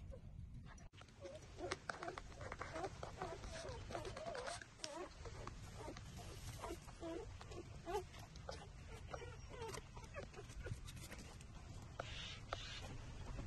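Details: Six-day-old puppies suckling at their mother, trembling as they feed: thin, wavering whimpers rise and fall in a cluster of short cries through the middle seconds, over a steady low rumble of background noise.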